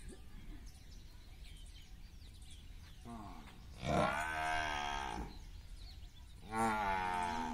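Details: Village water buffaloes, a cow with a male buffalo trying to mate: two deep, drawn-out moos, the first rough and rising for about two seconds, the second starting after a short pause, over faint birdsong and low rumbling noise.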